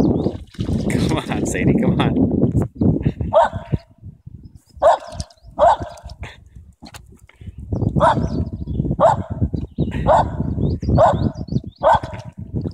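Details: Sadie, an upset dog, gives short harmonic barks in clusters, roughly one a second, in the second half, while people talk and call to her throughout, coaxing her to come.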